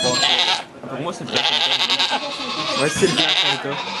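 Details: Bleating at a goat birth in a Quebec sugar shack where two kids are born: strained, high, harmonic cries that rise and fall in several spells, mixed with French talking from people nearby.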